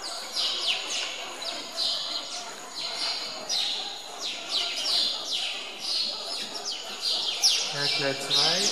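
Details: At Zoo Augsburg, hungry meerkats chase each other to grab chicks handed out at feeding: a rapid, dense series of piercing downward-sliding squeals, near-continuous and overlapping, with a brief lower voice near the end.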